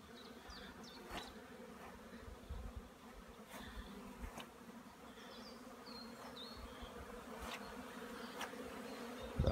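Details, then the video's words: Honey bees flying around apiary hives in warming sunshine on 15 April 2016, after over a week of rainy weather; a continuous low buzzing hum with sharp clicks and scattered high bird chirps in the background. "W końcu ładna pogoda pszczoły latają"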